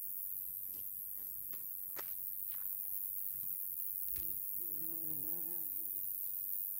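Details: Male Roesel's katydid singing: a continuous, very high, thin buzz runs unbroken throughout, with scattered faint clicks and a short, low, wavering tonal sound near the end.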